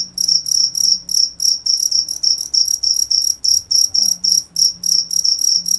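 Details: Cricket heard up close, bright high-pitched chirps pulsing in a brisk even rhythm of about three per second, a faint low tone wavering underneath.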